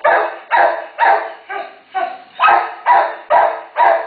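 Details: Barking from a terrier momma caring for day-old babies awaiting rescue: nine loud, rough barks, evenly spaced roughly half a second apart, some slightly softer in the middle of the series.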